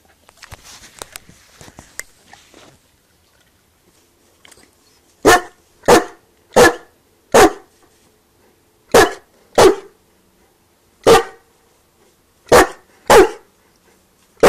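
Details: Newfoundland barking to get a sausage. After a few seconds of faint rustling, about ten sharp, loud barks come singly or in quick pairs with uneven gaps.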